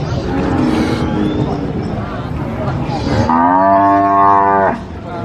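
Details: Cattle at a livestock market in Indonesia, destined for Qurban sacrifice; a strong, steady harmonic moo near the end lasts about a second and a half, preceded by murmuring voices and a busy, noisy crowd background.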